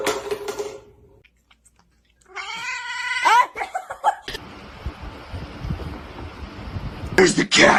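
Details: Pet cat indoors from a funny cats compilation: after human talk and a pause, a strained, wavering meow of about a second rises then bends, followed by broadband rustling noise and a burst of voices.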